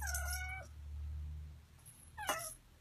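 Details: One of four household cats meowing indoors. A drawn-out meow slides downward, then a shorter falling meow follows after a pause, over soft background music and a low hum.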